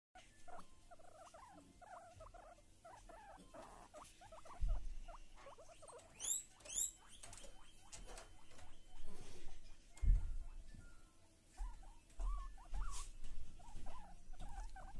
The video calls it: głos świnek morskich